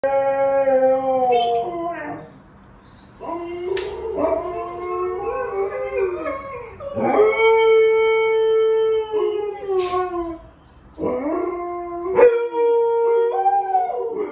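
A Siberian Husky gives a run of drawn-out howls, each swelling into a steady held note before sliding down or breaking. Short yips and wavering bends join the longer phrases, with brief quiet gaps between them.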